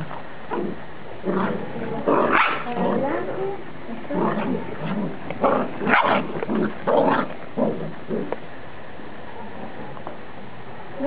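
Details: Golden Retriever puppies play in Hurlingham, Buenos Aires Province, Argentina, giving short, uneven yips, whines and low growly grumbles in quick irregular bursts.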